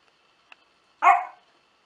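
A Basenji gives a single short, harmonic yelp that falls off over about a third of a second.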